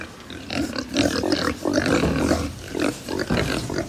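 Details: Crowded pigs on a farm in Japan give pulsing, nasal grunts in quick succession, some tonal and slightly whiny, forming a busy chorus over a short stretch.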